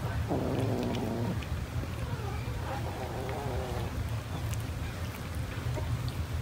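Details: Cats eating rice give two drawn-out meows, the first lasting about a second, the second longer and wavering, over a steady low hum and scattered light clicks.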